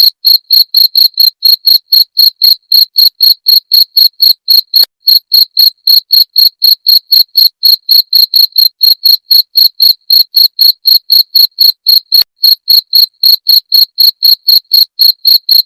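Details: Long run of cricket chirps used as a rat repellent: high, piercing, evenly spaced pulses around four each second, continuing without pause over a quiet background.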